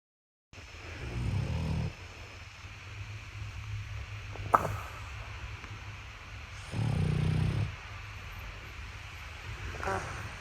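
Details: Boston Terrier puppy asleep in a spot other than its cot, snoring: two low, rumbling, harmonic breaths about six seconds apart, each roughly a second long, with quiet room tone between them.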